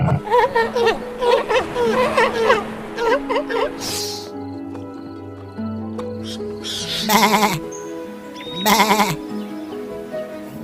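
A sheep gives two wavering, nasal bleats over steady background music.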